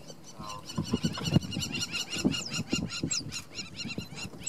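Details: Two cheetah cubs with their mother at Namiri Plains on 17 August 2015, yipping: rapid, high, chirping calls repeated several times a second throughout, over low rumbling and soft thuds.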